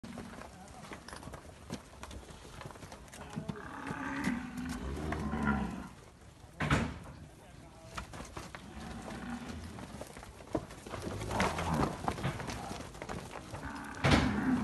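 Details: Nelore calves of the Quarie Col progeny at Fazenda Barão, Amaralina, Goiás, mooing in low, drawn-out calls around four to six seconds and again near the end, with scattered knocks and farm background between calls.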